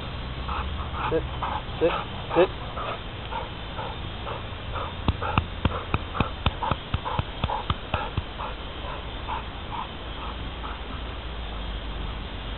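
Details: Billican, a four-year-old male American Bulldog, makes short whiny, moaning vocal bursts repeated about every half second. A run of sharp tapping clicks comes midway over a steady low rumble, with some voices in the background.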